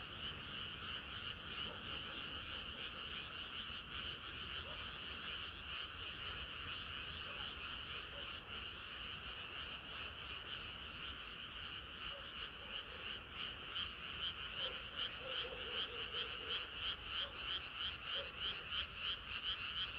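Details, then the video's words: Summer-night frog chorus, many frogs croaking together in a steady pulsing drone; toward the end the pulses grow sharper and more rhythmic, about three per second, over faint low background hum. "개구리들의 합창은 끝이 없어라"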